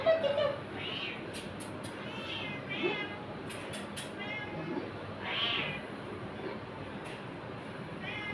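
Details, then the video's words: An apparently scared domestic cat gives four or five separate mewing calls, some short and some longer, among soft clicks and tapping. Tagalog-speaking people are heard nearby. "Cat looks afraid funny cat videos 2025 meow"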